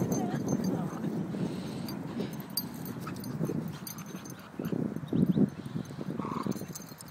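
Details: During a game of tug, a black and a brindle Staffordshire Bull Terrier, both nearly four, growl in deep, throaty bursts. A brief higher whine cuts in near the end, with a human voice in the background.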